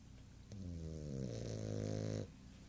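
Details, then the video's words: Sleeping female pet dog snoring with her eyes open: one long, low, buzzy rasping snore with a steady droning tone, rising slightly in loudness and lasting under two seconds before stopping abruptly, in a quiet indoor setting. "Snoring Dog - Eyes Open!"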